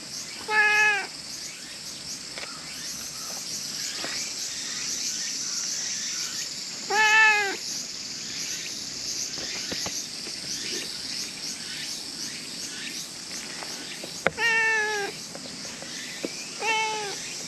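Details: Brown female stray cat in Japan meowing while being petted outdoors. Four short, clear meows with a slight downward bend, spaced several seconds apart, over a steady high insect drone.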